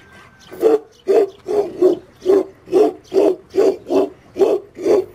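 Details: Aboriginal Tibetan Mastiff (Do Khyi) of Tibet, a guard dog, barking: eleven deep, evenly spaced barks in about five seconds, each a short gruff burst at a steady pace with no other notable sounds.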